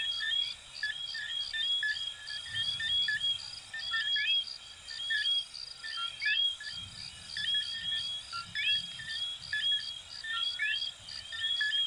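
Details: Many coquí frogs of Venezuela and Puerto Rico calling at once, their clear rising two-part whistles standing out over a bed of rapid chirps and a continuous high ringing drone, with a faint low rumble now and then.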